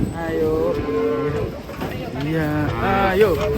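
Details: Cattle lowing while being unloaded from a swaying truck: long, sustained, harmonic moos in two drawn-out bouts that overlap one another, with a slight pitch rise near the end.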